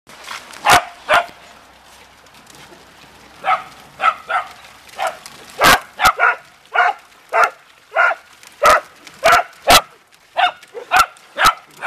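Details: Family of Beagle and Dachshund dogs having fun playing in water: bursts of high, yappy barks come in loose runs, about one every second or two, mixed with sharp broadband clicks and splashes.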